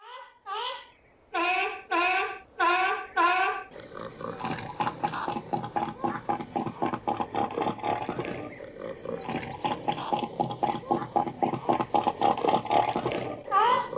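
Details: Seal calling: a run of loud, harmonic, wavering barks in quick succession, then a dense rasping chorus of pulsed grunts from many animals, with a single call rising out of the din at the end.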